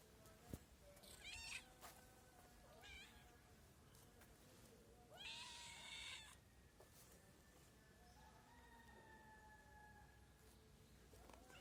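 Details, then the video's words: Group of hungry stray cats calling, with several harmonic meows of varying length, the longest and loudest near the middle, over a steady low rumble and faint background tones. "The group of cats is very hungry"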